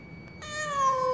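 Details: Lost cat crying in the stairwell of a high-rise apartment building: a single drawn-out, mournful meow that starts abruptly and slowly falls in pitch, rich in harmonics, over a low background hum and a steady faint tone.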